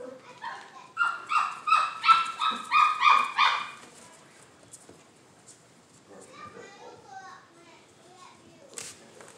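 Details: Standard poodle stud dogs; a run of about six sharp, ringing barks in quick succession, then quieter yelps and whines, followed by a brief high squeal near the end.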